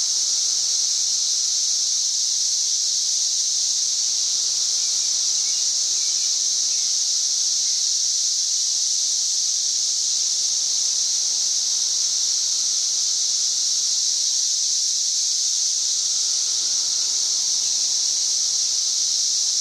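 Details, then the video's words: Loud cicada chorus recorded on May 31, 2024, reaching over 91 dB: an intense, unbroken buzzing hiss held steady throughout, with no pauses or pulses, and only faint background sounds beneath it. "91+ dB Cicada Singing."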